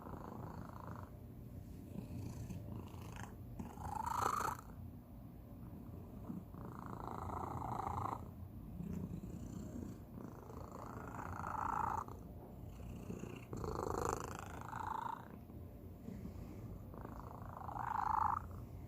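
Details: Domestic cat, the youngest of the household, giving an unusual, distinctive purr indoors: a steady low rumble with louder swelling bursts every few seconds, some carrying a higher breathy band.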